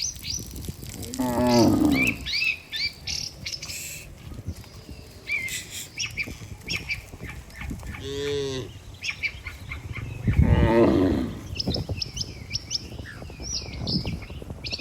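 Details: A herd of healthy cattle walking together to their barn with a herdsman. Three drawn-out harmonic moos come at about two, eight and eleven seconds, while small birds chirp busily throughout.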